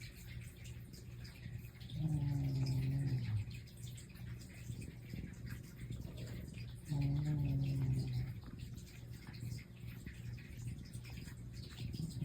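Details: Pet house cat, one of two named Mei and Totoro, snoring indoors: two low rumbling snores, each about a second long, about five seconds apart, over a steady faint room hiss.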